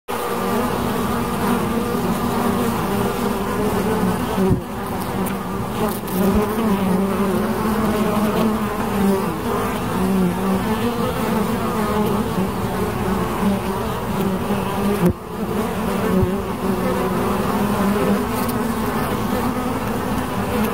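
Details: Bees droning in a dense, steady hum, many overlapping low buzzing tones that shift slightly in pitch, continuous throughout with two brief dips in loudness.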